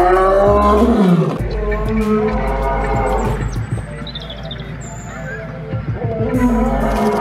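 A lion gives deep, rumbling roars that swell and fade, with music playing underneath.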